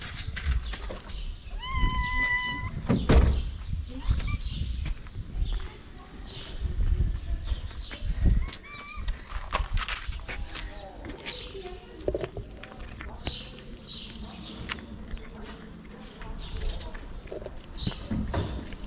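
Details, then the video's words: Pregnant calico cat, a hungry stray fed on a Moroccan street, gives one clear, steady, ringing meow about a second long early on, followed by clattering, rustling, faint voices and background street noise. "Cute and hungry pregnant calico cat."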